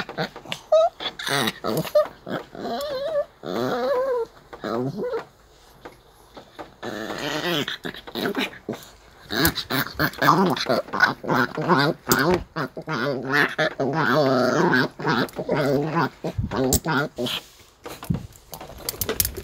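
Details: Maltese dog named Bom grumbling in annoyance while being brushed indoors; long wavering, moaning growls rise and fall in bursts, pausing briefly between runs, with soft room noise.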